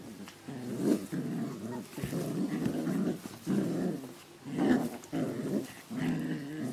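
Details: Playing puppies, recorded 27 July 2012, growl continuously in rough, rumbling surges that swell and fade roughly every second, with brief louder snarly peaks. The room is otherwise quiet.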